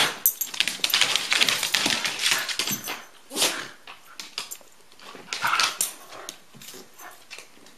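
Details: Dogs at play, Rusty with Elliott the corgi: dense run of scratchy barks and whiny yelps in the first three seconds, then shorter broken bursts, including one brief tonal whine near the middle.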